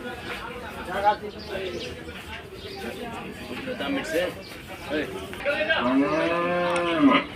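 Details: Water buffalo at Gabtoli livestock market, Bangladesh, brought for sale: a long, loud, harmonic bellow rising then falling near the end, with shorter lowing calls earlier, amid market voices and crowd noise.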